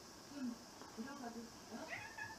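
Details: Mixed-breed domestic cat indoors, scolded for bullying another cat, gives quiet low growly mews at about half a second and one second, then a higher rising meow near the end, over a steady room hum.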